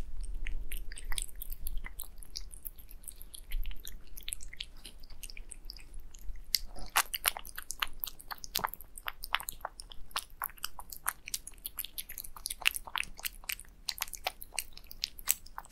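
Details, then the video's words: Three pet cats eating wet food mixed with egg yolk: a steady run of wet, smacking clicks and chewing noises, faint at first, then denser and louder from the middle onward, with a low background hum. "My 3 cats love to eat wet food with egg yolk"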